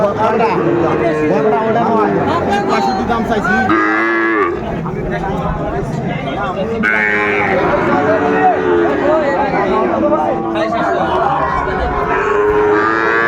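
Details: Sahiwal bull calves at Ambari market on 29 April 2024, with a farmer from Faridpur buying; drawn-out harmonic moos rise and fall over steady crowd chatter and bargaining voices.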